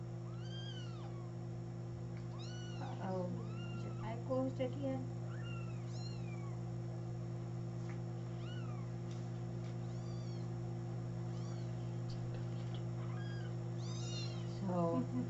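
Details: Little kittens recorded on 13 May 2017, giving thin, high-pitched arching mews, often in pairs or clusters from more than one kitten, scattered through the clip over a steady low electrical hum and faint background talk.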